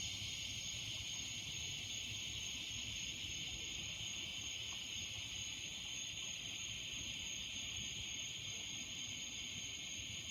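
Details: In the evening, cicadas among trees drone in a steady, high, hissing chorus that holds without a break.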